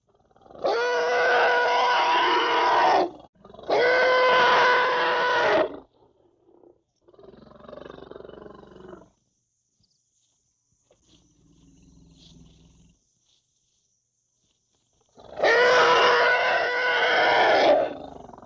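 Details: African elephant calf giving three loud, drawn-out harmonic calls, each about two and a half seconds, steady then slightly rising, with quieter low grumbling sounds and near-silence between the second and third calls.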